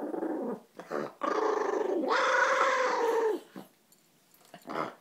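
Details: Maltese dog guarding a food bowl after taking another dog's food, making a loud, drawn-out talking growl with rising and falling pitch, broken into several grumbling bursts; a woman scolds it in between.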